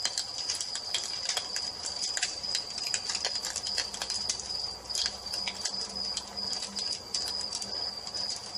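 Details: Continuous thin cricket trill in the evening, partly masked by a busy fireplace with dense, rapid crackling and popping of burning logs.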